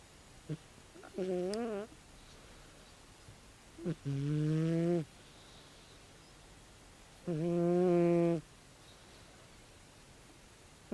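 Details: Big snores from a sleeping 16-year-old calico cat. Three buzzy, humming snores, each about one second long, are spaced roughly three seconds apart, with soft breathy clicks between them.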